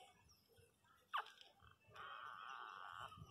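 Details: Newborn miniature pinscher puppies crying: a short high squeal sliding downward, then after a pause a steady, drawn-out whine of about one second with a faint low rumble underneath.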